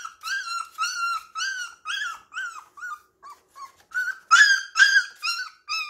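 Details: Puppies at play indoors at home, leaning on each other yet roughhousing, giving high, whiny yelps and whimpers in a quick irregular series of short harmonic cries, some rising then falling, louder bursts near the end.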